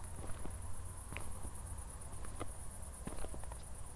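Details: Crickets at night in Zwettl, Austria, shortly after a thunderstorm, city lights in the distance: a steady high, finely pulsed trill runs throughout, with footsteps crunching along a walk.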